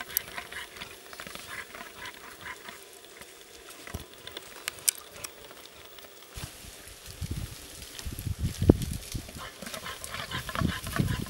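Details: Migratory caribou bulls of the Rivière-aux-Feuilles herd in Canada call to females and chase them. Low, pig-like grunting bursts come in the second half, over steady windy outdoor noise.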